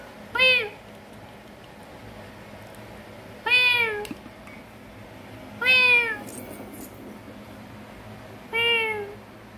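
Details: Indoor kitten, called to come and eat while resting in the bedroom, gives four clear, high-pitched meows, each brief and falling at the end, separated by gaps of two to three seconds; the room is otherwise quiet.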